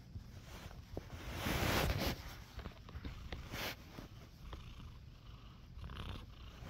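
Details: Nacho, a pet cat in a cone, purrs on waking from his nap. The purr is a deep, fast-throbbing rumble, swelling louder near the second mark, with soft rustles and clicks over it.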